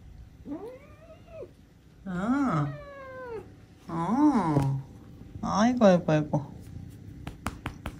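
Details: Pet cat indoors around Chuseok, batting at ice in water, gives four drawn-out rising-then-falling meows spaced about two seconds apart, rich in harmonics, with a woman's voice talking and light clicks at the end.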